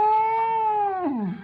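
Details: Rescued stray indoor cat, dying after twelve days without eating, vomiting following a vet injection: one long, steady, drawn-out meow holding level for about a second, then bending downward and fading out.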